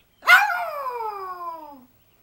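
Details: Yorkshire Terrier named Smokey, a pet Yorkie, howling for its owner: one long harmonic tone that rises sharply and then slides slowly downward for about one and a half seconds before fading out.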